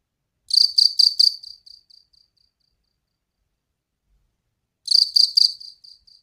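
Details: Loud cricket chirping at night: two bursts of four quick, high, evenly spaced pulses, each trailing off into fading echoes, with a silent gap of about three seconds between bursts.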